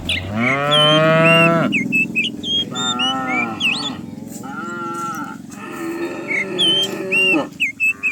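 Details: Herd of cows coming down the hill in the morning; a long rising moo followed by several shorter overlapping lows, birds chirping in the background.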